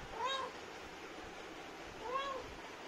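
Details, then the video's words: Indian street cat, a talkative mother, calling to her kittens: two soft, short meows, each rising then falling, about two seconds apart over a steady background hiss. "Mama Cat Talking To Her Beautiful Kittens"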